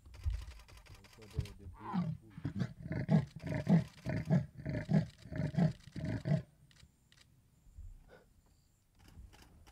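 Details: A male leopard called Chavaluthu, in the Balule area, contact-calls to a leopardess nearby on Valentine's Day with a run of deep, rasping grunts like a saw cutting wood.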